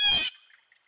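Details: A beaver at its dam in central Alberta, caught on a trail camera, gives one short, nasal, squawking cry of about a quarter second that is rich in overtones and fades quickly.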